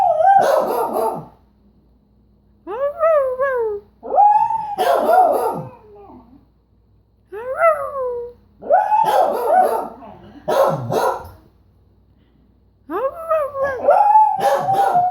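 A beagle howls in long wavering bays broken by short yelping notes that rise and fall.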